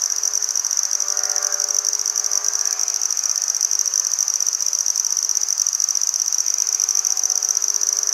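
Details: Steady high-pitched trilling song of a handsome trig, Maynard, Massachusetts, September 14, 2019; the rapid pulses run without a break at one pitch, with weak low tonal hum in the background.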